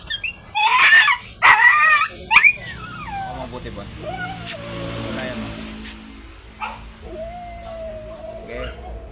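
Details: A Dachshund at a stud service in Asingan, Pangasinan, gives a few sharp yelps, then long, high, wavering cries, with people talking nearby.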